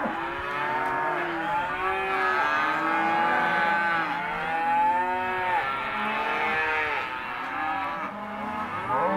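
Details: Herd of empty, non-pregnant Hereford and Careta cows mooing together, many overlapping drawn-out lowing calls layered into a continuous chorus with shifting tones throughout.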